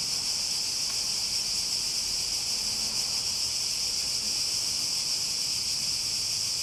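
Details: Shrill cicada buzzing fills the whole stretch as one steady, hissing wall of sound, with a slight pulsing texture and a quiet low hum underneath.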